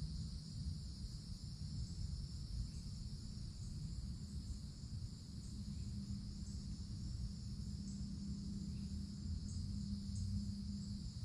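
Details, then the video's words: Woodland cicadas in the summertime canopy keep up a constant high buzzing drone, accompanied by faint soft ticks and a low rumble with a faint low hum in the second half. "Forest Canopy in the Summertime With Cicadas Sounds"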